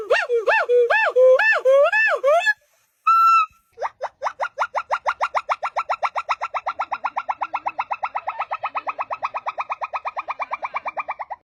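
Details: Monkey calls from a compilation of unusual monkey sounds: a few arched, rising-and-falling harmonic calls, a short pause, then a long rapid series of clipped pulsed notes, many per second, fading slightly toward the end.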